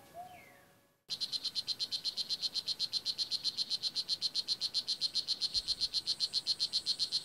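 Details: Blue jeans poison dart frog (Oophaga pumilio) in Nicaragua's Kahka Creek Rainforest Preserve: after a short whistle-like bird note, a fast, even series of high buzzy chirps begins abruptly and continues, close and loud.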